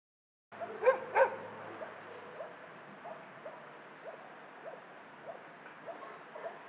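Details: Dogs at a dog shelter: two loud sharp barks near the start, then a steady backdrop of distant, softer barking from many dogs repeating irregularly.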